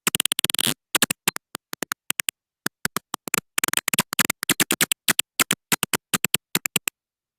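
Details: Little brown bat echolocation in Wisconsin: steady, regular ticking search pulses broken by two quick zipper-like feeding buzzes as the bat detects and closes in on prey.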